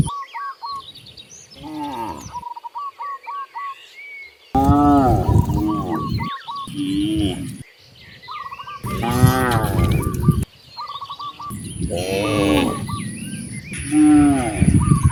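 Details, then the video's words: Cattle roaming freely toward vast grasslands, several loud, rich moos in succession, some long and bending in pitch, with sudden breaks and small repeated bird chirps between them. "The sound of mooing cows roaming freely in nature on their way to the vast grasslands"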